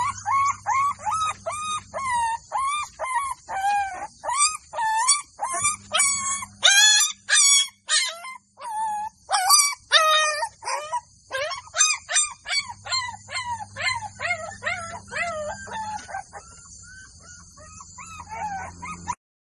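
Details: Village scene of Golden Labrador puppies squealing and yelping in an irregular stream of short, high, wavering cries, some grouped in quick runs, with a low droning hum sounding in stretches behind them.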